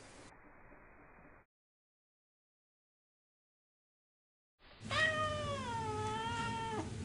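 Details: Vlaminck, an orange house cat, calls for a rescue dog's attention: after a quiet gap, one long, loud, sliding meow that dips and then holds level for about two seconds.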